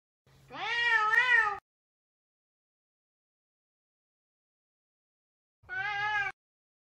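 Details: Savannah cat Sabian calling out as he tries to find Sabina, giving one loud wavering meow of over a second followed after a long pause by a shorter, softer meow.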